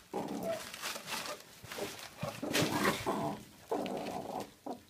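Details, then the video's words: Adult male meerkat from a captive mob of ten, showing food aggression while guarding mealworms at feeding time; harsh, buzzy harmonic growls in irregular bursts of about half a second, with rustling and scuffling between them. "Meerkat Mitch protecting his Mealworms"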